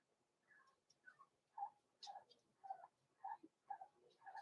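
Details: Blenheim Cavalier King Charles Spaniel puppies from a small litter born November 14, 2022, in an indoor puppy pen at Christmas time; soft, squeaky whimpering cries, rising and falling, repeated roughly every second and a half at low volume.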